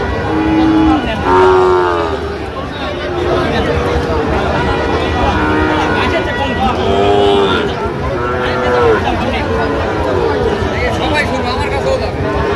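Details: Sahiwal bull calves at a cattle market in Cumilla, Bangladesh, on 2 October 2025, offered to a farmer. Several short, low moos that rise and fall are repeated through the clip, over steady crowd chatter, bargaining voices and some vehicle noise.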